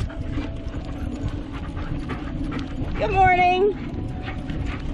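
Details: Tonka the malamute and Monroe, too excited to sit still while being leashed before bikejoring, with one drawn-out, wavering whine in the middle against a background of rustling and low movement noise.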